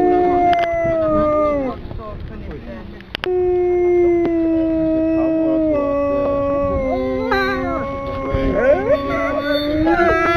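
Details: Captive wolves, four males, at Kolmården Zoo, Sweden, in January 2007 during a wolf petting event: several overlapping long, steady howls, one low voice holding a level tone while others glide and waver above, with a brief click midway.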